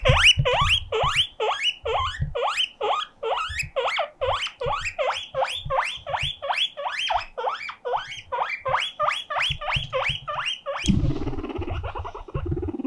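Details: Lonely pet guinea pig wailing like an alarm siren, calling loudly for company: some twenty upward-swooping shrill squeals in a steady, pulsing series, then a lower, rougher rumbling chatter near the end.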